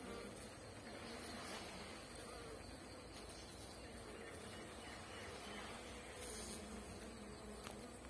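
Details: Steady, dense droning of honey bees, an even low hum with a rough, noisy texture, holding at nearly constant loudness for about eight seconds.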